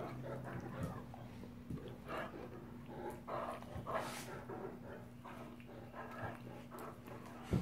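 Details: Rough play between male Great Danes: a continuous string of gravelly growls and snorting breaths rises and falls in loudness, with a low steady hum in the background.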